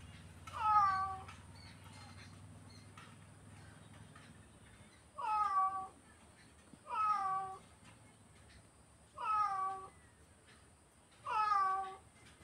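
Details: Domestic cat meowing five times in a quiet room, short bright mews with bending pitch arriving every two seconds or so after a long pause at the start.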